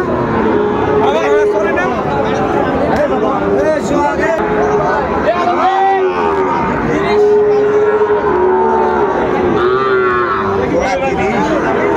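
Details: Repeated moos of Sahiwal cattle, bull calves at a crowded Comilla market in Bangladesh on 18 October 2024. Steady, sustained lows sound again and again against dense background talk and market noise.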